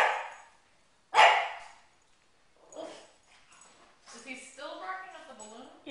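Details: Pug named Oshi confronting balloons in a room: one loud, rough bark stands out, followed by people talking.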